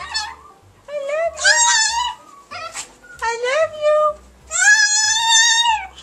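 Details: A talking Chihuahua voicing 'I love you': four drawn-out, whine-like tonal phrases, some bending upward and others holding steady and bright, each about half a second to a second long, with quiet pauses between and human encouragement nearby.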